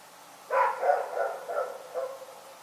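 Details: Rex the dog at night gives a short run of five softer, fading barks that tail off, against a quiet hiss.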